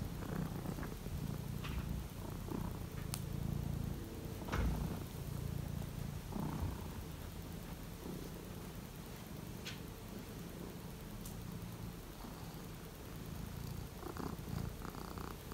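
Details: Household Siberian lynx on a cold morning, as Misa explores a large box on a shelf: a low throbbing purr, strongest in the first half, is punctuated by scattered clicks and rustling movement.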